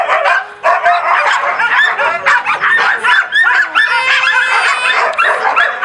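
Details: Loud chorus of husky and laika puppies, 4 June 2016: overlapping high yips and barks with several drawn-out howls that swoop up and level off, voices layered densely without a break.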